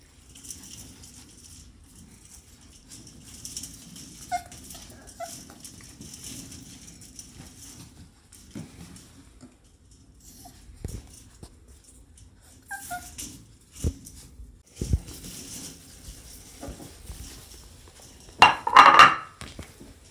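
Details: Puppies of a dog named Hilla, eating and very active on 14 October 2020; a few short, high whimpering squeaks come in pairs early and midway, with a louder squealing burst near the end over quiet indoor rustling and patter.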